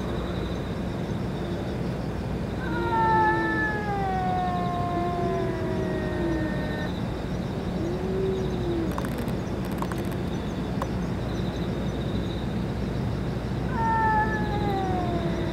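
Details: Stray cats around the boss cat that took its food and medicine: a drawn-out, slowly falling meow of several seconds, a short softer mew, then a second long descending meow near the end, against steady low hum.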